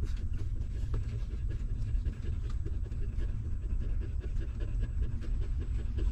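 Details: Hungry newborn puppies of a stray mother dog suckling milk; dense, rapid low smacking and sucking noises run without pause, with faint scattered clicks above.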